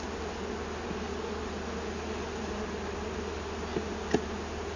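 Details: Honey bees from a wild hive found inside a large felled tree, being collected with a bee-vacuum: a steady, dense swarm hum in a low band with layered overtones, a low background rumble and a couple of sharp clicks near the end.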